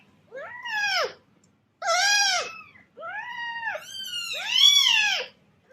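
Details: Meows of a cat meant to attract other cats: four arching calls in close succession, the last one longer and higher, with a quiet low hum beneath.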